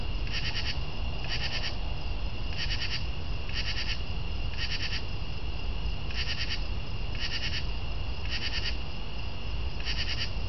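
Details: A northern true katydid (Pterophylla camellifolia) calls with raspy, pulsed bursts repeated about once a second over a low rumble.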